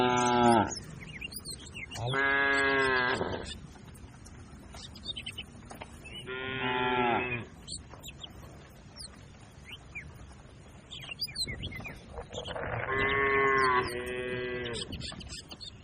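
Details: Grazing cattle herd on a broad green field: four loud, resonant moos with steady tone, separated by quieter gaps filled with scattered bird chirps.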